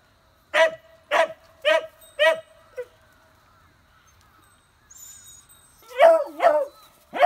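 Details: Newborn Beagle puppies, nieces of Gonta, on Amami Oshima in Japan: four quick barks in a row, a pause with a faint high whistle-like tone, then lower wavering yelps and one more bark at the end.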